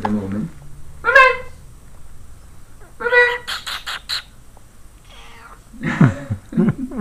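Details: Moonbeam, a house cat resting in bed in June 2013, gives a brief rising meow early on, followed by a second softer one, with talking and rustling around them.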